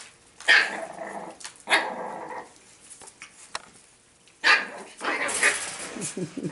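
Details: Playful Boston Terriers romping together, recorded 09/13/2017: rough, growly barks burst out in short clusters, two early and a louder run later, separated by pauses filled with soft scuffles and panting as the group plays.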